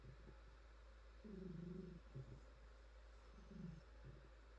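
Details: Pet cat, female, purring under gentle petting: a low vibrating rumble rising into one longer, louder phrase mid-clip, then shorter softer pulses, no other sounds beyond faint hiss.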